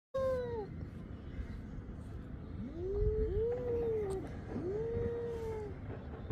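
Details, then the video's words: Domestic cats fighting, with drawn-out wavering yowls that rise and fall, one at the start and three longer overlapping moans in the second half, over a low steady background rumble. "funny cat fights"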